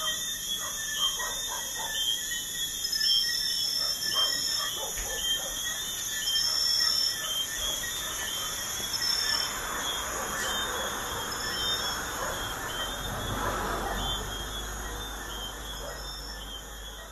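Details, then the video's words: Crickets at night beside a busy highway: steady, high-pitched ringing trills run unbroken through the recording, partly masked by the low roar of passing traffic that swells and fades as vehicles go by. "Crickets at night by a busy highway"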